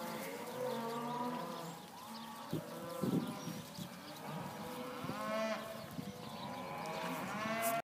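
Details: Young open Hereford heifers at a sale on 5/3/14, lowing repeatedly: deep drawn-out moos overlapping from several animals, with clanks and knocks of pens in the background.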